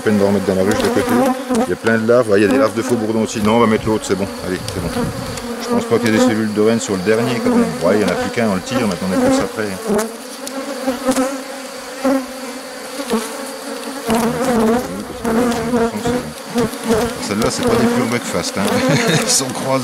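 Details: Honey bees from a drone-laying hive under rescue, 3 May 2021, following the destruction of the introduced cells. A continuous droning swarm hum is punctuated by louder whirring bursts as individual bees pass close by.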